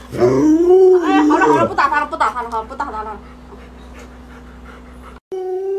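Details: Indoors, the Alaskan Malamute Luoluo responds to an owner too sick to get up with a short wavering howl that rises then slides down, followed by quieter murmuring sounds and a steady background hum.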